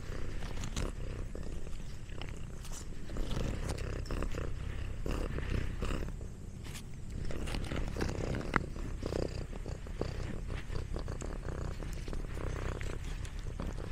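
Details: A pet cat purring at length while eating snacks, a dense low vibrating hum broken by frequent crunchy chewing clicks.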